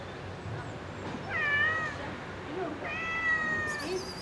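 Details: Cat living in a park begs for food beneath a balcony, giving two long, slightly wavering meows about a second and a half apart, with a brief higher squeak at the end.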